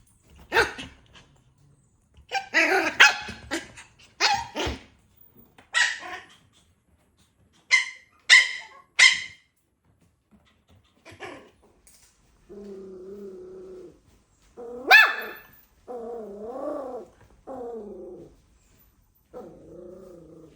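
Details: Puppy giving a run of sharp, high yapping barks in quick bursts, then drawn-out wavering whines and whimpers with a rising-and-falling tone during the second half.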